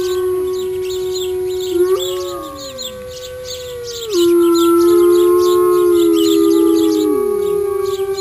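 Wolves howl in long, overlapping tones that hold steady, then slide up or fall away.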